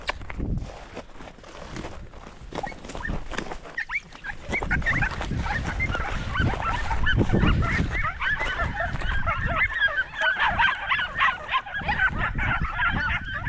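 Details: Podenco hounds of the Perjuicillos pack hunting rabbit outdoors, a pack giving rapid overlapping barks and yelps that build and thicken into a continuous chorus, with rustling movement and scattered human calls.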